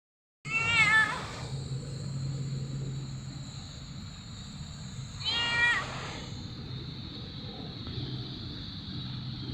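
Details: A hungry fluffy white cat gives two drawn-out meows, one near the start and another about five seconds later, each rising then falling, over a steady hiss and low hum.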